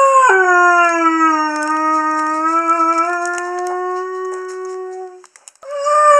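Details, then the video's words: Young male Curly-coated Retriever Haru howling when females are in high season: a tone that drops sharply at the start, then holds long and even for five seconds, a short break, and a new higher howl. "Curly Coated Retriever Haru howling"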